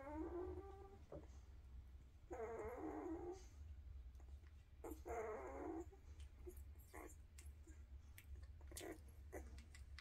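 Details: Quiet young Weimaraner puppies of a 2023 litter give drawn-out, wavering whimpering cries of about a second each, three spaced calls, then clicks and light rustles over a constant low room hum.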